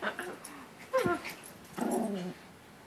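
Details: Pet dog indoors, playfully biting its owner's hand, gives a short falling whine followed by a louder, tonal, rough growl-whimper lasting about half a second; a person's voice is faintly heard nearby.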